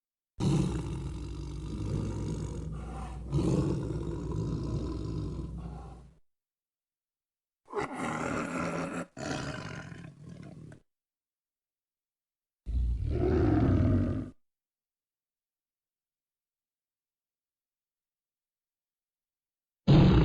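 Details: Tiger growling in separated bouts: a long rough rumble of about six seconds, then two shorter snarling growls, and another brief growl, with long silences between them and a sudden burst at the very end.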